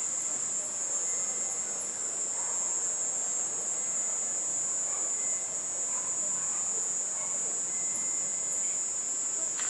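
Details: Garden at dusk with night sounds: a cicada's unbroken, metallic high-pitched drone runs steadily throughout, joined by faint thin tonal traces lower down.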